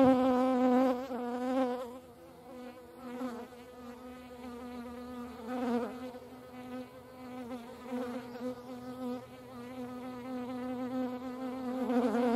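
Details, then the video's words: Hornets at a feeding place in the Eifel, Germany: a steady droning wingbeat hum with a strong low fundamental and stacked harmonics, swelling and fading as insects move close and away over twelve seconds. "Hornissen am Futterplatz. hornets at food."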